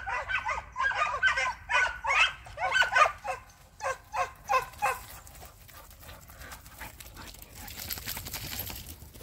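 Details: Three hunting hounds flushing a hare in sight during a hare hunt; a fast run of loud, ringing bays repeats about once a second for five seconds, then fades into rustling and crackling outdoor noise.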